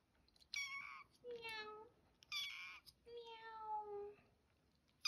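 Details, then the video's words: Young kitten's early meows indoors: two long, slightly descending mews, steady and thin, interleaved with a person's higher-pitched speech. "first Meow"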